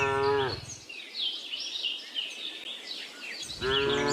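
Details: Cows on a cattle farm, a tame herd searching for grass; one moo fading out at the start and another beginning near the end, with a gap of bird chirping and faint background noise between.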